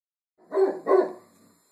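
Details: A Great Pyrenees, recorded August 5, 2012, gives two loud, hoarse, resonant barks within half a second, alerting that someone is there.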